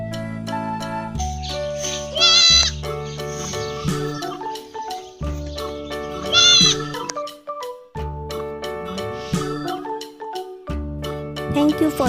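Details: Goat bleating: two wavering, quavering bleats about four seconds apart, each short with a shaky tremolo, set against continuous background music of sustained low tones and plucked notes.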